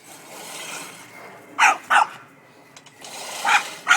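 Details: Male Boston Terrier, angry at a push lawnmower, barks in short sharp bursts: two quick barks mid-clip, then two more near the end, over a steady whirring mower noise.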